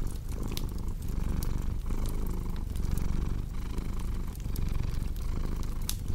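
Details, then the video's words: Pet cat purring loudly, a deep buzzing rumble that breaks briefly about every 0.8 seconds as it switches between inhaling and exhaling, with crackling fire pops on top. "Purring Cat with Cozy Crackling Fireplace Sound"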